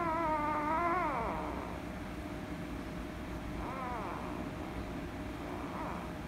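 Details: Female rescue kitten, angry at being petted, gives a loud wavering meow that drops at the end, then two softer, shorter meows spaced about two seconds apart over low background hum.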